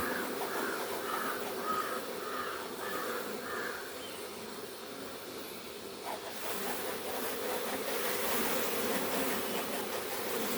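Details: Honey bees swarming around hives on a Kerala farm during honey extraction, as beekeepers open the boxes; a dense, steady low buzz fills the clip, with a run of short repeated higher tones early on and a louder, rougher stretch after six seconds.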